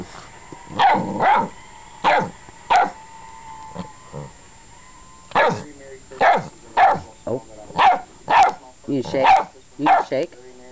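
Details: Female Newfoundland puppy, 7 1/2 weeks old, barking while messing around in training: short sharp barks repeated about every half second to second, around a dozen in all, some in quick pairs.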